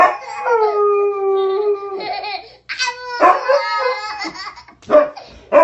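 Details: After a child howls, a dog responds indoors with a steady howl of nearly two seconds. Broken yelping notes and a child's voice overlap in the second half.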